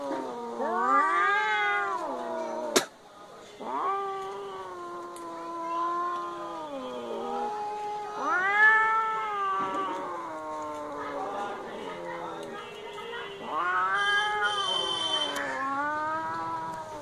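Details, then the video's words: Fighting cats trade long, wavering howls and moaning yowls, rising and falling in long phrases, with a sharp click early on and brief quieter gaps between bouts. "Cat Fight with sound"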